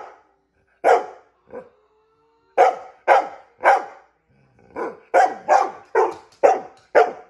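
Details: Barking for a treat, a female dog gives a couple of isolated barks, then bursts of rapid, forceful woofs that grow quicker and denser toward the end.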